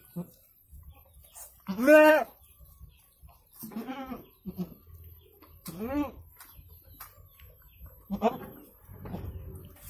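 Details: Goat in Indonesia during the birth of two kids, giving a series of quavering harmonic bleats, one loud and long near the start and several shorter ones after, mixed with soft human speech and background shuffling.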